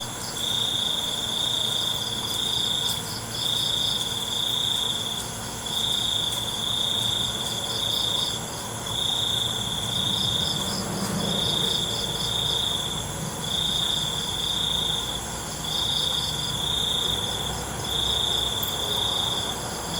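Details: Crickets at night: a high, shrill trill sounding in bursts of about one to one and a half seconds with short gaps, repeating steadily over a constant hissing insect background.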